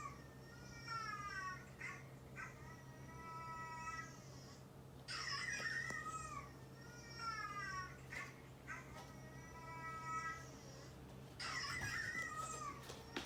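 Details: Two neutered male house cats, an orange tabby of two years and a brown tabby of about three, respond indoors to dog barks. Drawn-out, descending meows repeat across the stretch, broken by rougher broadband bursts, with a constant background hum.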